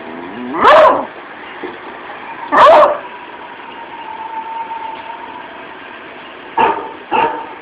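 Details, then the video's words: A one-year-old female beagle, who hardly ever barks, barks at a dog in a movie on TV: four sharp, high barks in uneven bursts, with a faint steady tone between them. "My Beagle Puppy Barking At TV"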